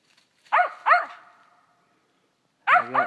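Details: Young female dog, a year old, treeing a gray squirrel in South Georgia, gives two loud ringing barks in quick succession, then a pause of over a second before another pair of barks starts.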